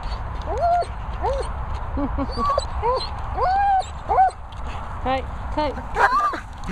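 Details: German Shepherd Roxy whimpers and yips repeatedly: short, arched, whistly whines in quick succession, some rising then falling, with a few sharper yelps, over a low constant background rumble.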